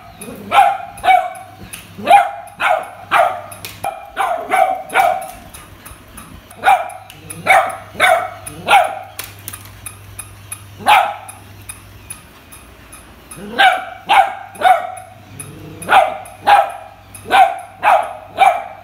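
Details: Kuttus, a beagle puppy, barks at a new puppy toy that scares him: sharp, high puppy barks in quick bursts of two to four, with short pauses, over a faint steady high ticking and a low hum.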